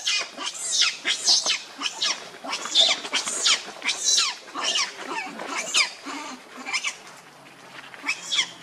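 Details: Angry, hungry baby monkey Leo pleading with its mother for milk, uttering rapid high screeching cries about 86 per minute, harsh and ragged, tapering off into softer squeaks.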